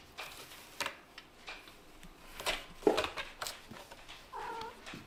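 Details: Male kittens from a Scottish Fold and British Shorthair litter wrestling in pretend play indoors; scattered taps and scuffles, then a drawn-out harmonic mewing cry closing the last second.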